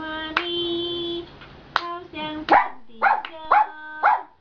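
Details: Relaxed giant panda singing in the afternoon: a held nasal tone, then a run of short, bright bleats repeated about twice per second with steady harmonics.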